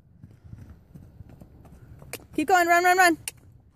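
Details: Drake, a 2014 Hanoverian colt bred Don Hill x Royal Prince, being trotted along a driveway: soft hoof clops, then one loud, wavering, strongly harmonic whinny lasting under a second, followed by a sharp click.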